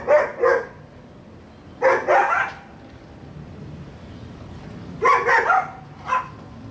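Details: A neighbour's dog barking in irregular groups of two to three sharp, bright barks with quiet gaps of a few seconds between groups.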